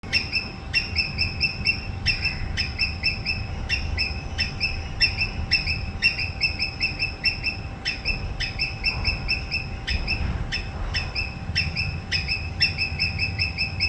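A squirrel gives sharp, harsh, repeated alarm calls, roughly one or two each second.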